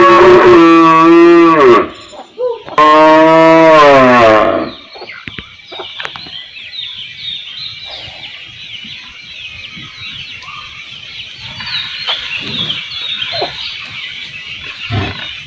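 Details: Cow recorded in a village area, giving two loud, drawn-out moos of about two seconds each, deep and rich, separated by a short pause, followed by chirping birds and clucking chickens in the background.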